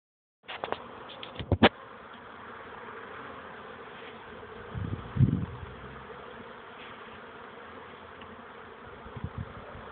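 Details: Honey bees buzzing during young bees' orientation flight on 13 May 2013: a steady, dense, droning hum that holds throughout, broken by a few brief knocks and low thumps near the start and middle.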